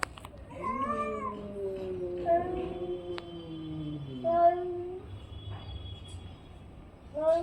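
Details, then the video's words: Orange-and-white domestic cat giving a long, low, wavering meow that slides downward, followed by shorter meows, with faint background noise indoors. "cat funny sound"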